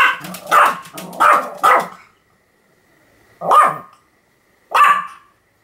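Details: Sam, a Pomeranian dog, recorded on 7 October 2015 in a bout of continuous barking: four quick sharp barks in under two seconds, a short silence, then two more single yaps spaced about a second apart.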